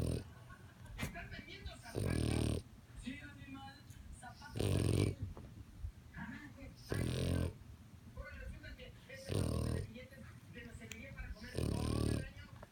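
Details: French bulldog snoring, with broad, rasping low snores about every two and a half seconds, each lasting roughly half a second, and quiet breathing noises between them.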